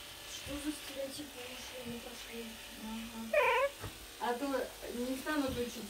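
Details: Young Pembroke Welsh Corgi puppy indoors, protesting while being brushed: after Russian-speaking adult chatter, a loud, strained, wavering cry breaks out, then several shorter whiny wails, with people talking throughout.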